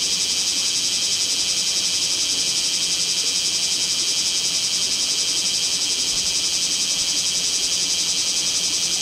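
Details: Bear cicadas calling in Kamo town on 2 August 2026 during a summer heatwave, recorded with a mirrorless camera: a dense, loud, unbroken shrill buzzing chorus with a fast throbbing pulse and nothing else audible.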